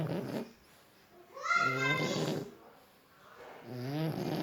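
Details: Sleeping French Bulldog snoring indoors: two rasping, harmonic-rich snore breaths about two seconds apart, the first louder with a nasal, whistling overtone, separated by near-silent pauses.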